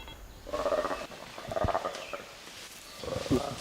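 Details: Black-and-white colobus: a played-back recording of the short, harsh, snorting alarm call colobus give when attacked by chimpanzees; feeding chimpanzees hearing it immediately set off to hunt.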